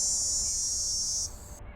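A dog-day cicada gives a steady, whiny high-pitched drone with no audible pulsing.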